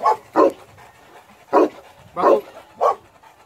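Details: Male South African Boerboel barks in a short series: a quick double bark, a pause, then three more evenly spaced deep barks over about three seconds.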